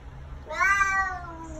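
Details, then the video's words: A very vocal male Bengal cat gives a single drawn-out meow that rises quickly then slowly falls, annoyed that he can no longer escape over the back door. "Conversation with a Bengal Cat"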